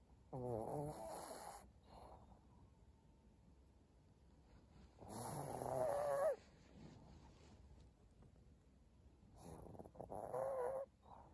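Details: A senior pug snores in slow, rasping bursts, each lasting about a second, with quiet pauses between; recorded 14 April 2022.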